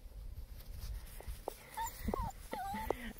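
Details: German Shepherd puppies, a few short whimpers and yips rising and falling in pitch, with brief low thumps and handling noise, spaced irregularly over a few seconds.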